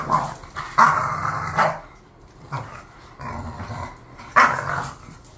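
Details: Khan and Ali, two bored pet bulldogs: gravelly grumbling barks in short bursts, a loud pair near the start, softer low rumbles in the middle, and another strong throaty bark toward the end.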